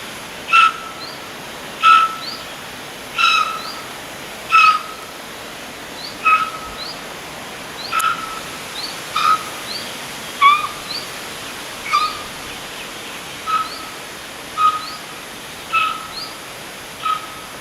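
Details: Roe deer fawn calling for its mother, who was waiting a little way off; about fourteen clear, high, slightly downslurred whistled calls repeated roughly every one to one and a half seconds over a quiet, steady background hiss.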